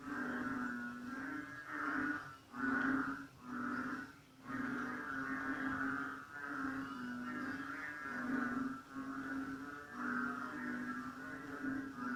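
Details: North Borneo frogs in jungle-edge bushes on a rainy, cold night around 8 pm; many overlapping low humming croaks pulse steadily, rising and falling in short bouts roughly once a second, forming a continuous throbbing chorus.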